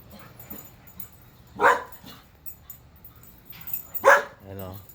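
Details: Bored Alaskan Husky Whiskey, leashed and barking at the neighbors; two sharp barks about two and a half seconds apart, a man talking around them and a short voiced sound at the end.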